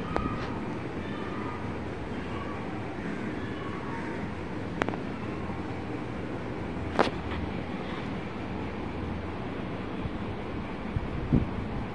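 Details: Steady rumble of passing vehicles or a train, broken by a few sharp clicks and knocks, with no animal sound heard.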